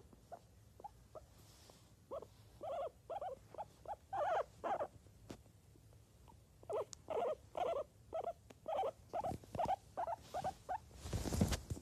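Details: Guinea pig calling in quick runs of short, squeaky, chirping notes, about two a second, bunched into loose groups with brief pauses, followed by a rustling scrape at the end.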